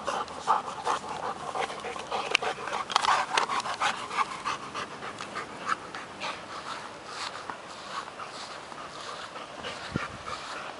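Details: Two dogs tug and chase after a stick: Nobi, a Working Mastiff pup of ten months, and Tasha, an eight-year-old bull terrier. Rapid breathy panting is strongest early on, then fades toward softer breaths with a few sharp knocks.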